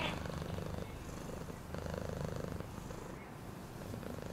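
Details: Cat purr as a deep vibrating rumble that swells and eases in a regular rhythm, about three to four pulses each second, with faint background sounds.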